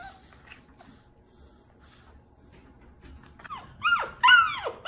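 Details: Young rescued puppy, six weeks old, during play: near silence, then a few rapid squeaky yelps with falling pitch in the final second and a half.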